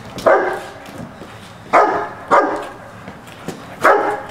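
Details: Young Rottweiler, on its first day learning to stand on an object and guard it, barks at a decoy trying to take its food bowl during protection training; four loud, harsh single barks at uneven intervals over about four seconds.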